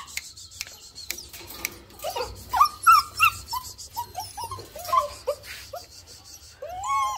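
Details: German Shepherd puppies whimpering, thin curved cries that start after a couple of seconds of soft rustling and grow more frequent, with a hiss of background noise.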